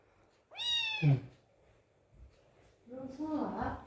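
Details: Very hungry kitten at feeding time gives two clear, bright meows, the first rising then falling, the second lower and wavering, with quiet room noise and a soft voice between them.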